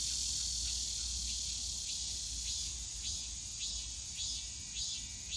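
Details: Cicada chorus at the bamboo forest of Yongsan Family Park in summer: continuous shrill droning overlaid with short rising-and-falling pulsed phrases repeating roughly every half second, distant low park hum underneath.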